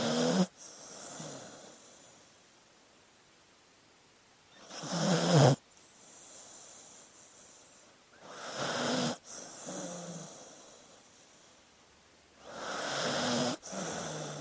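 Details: Dog asleep, snoring in slow cycles: a loud rasping inhale about every four seconds, sometimes with a brief squeak, followed by quiet hissing exhales.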